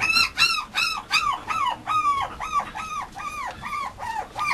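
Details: Male Mame Shiba puppy at a Japanese breeder, whining in a rapid series of arched, high whistled whimpers, each rising then falling, nearly three per second in a steady run, with faint background hiss.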